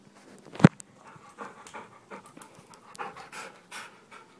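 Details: Labrador Retriever panting indoors while a person asks if it is ready to go out; quick, breathy, rhythmic panting after a sharp knock near the start, with low background noise.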